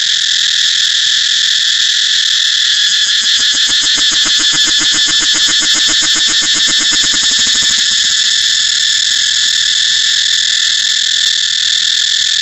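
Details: Steady high cicada drone that swells into a fast, beating pulsation for several seconds in the middle, then returns to an even, continuous shrill buzz.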